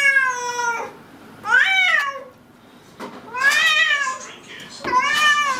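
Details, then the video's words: Domestic cats meowing: four drawn-out, harmonic-rich meows, some falling in pitch and others arching up then down, separated by short quiet gaps in an indoor setting. "Мысық дауысы | Meowing cats | Мяуканье кошек"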